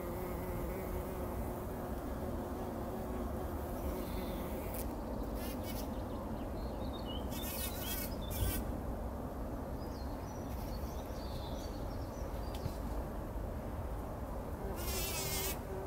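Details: Several bumblebees rolling in poppy flowers, taking a pollen bath early in the morning before sunrise, 2019; a low, steady droning hum runs beneath a broad rumble, while small birds chirp in brief bursts higher up.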